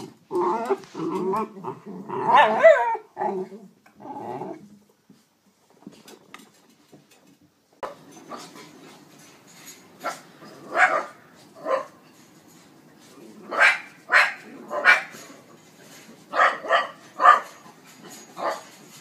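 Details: Jack Russell Terrier, a pet in a comedy dog compilation, making a burst of growly, whimpering vocal sounds. After a near-silent pause, short sharp yips and whines repeat irregularly over a soft background hiss.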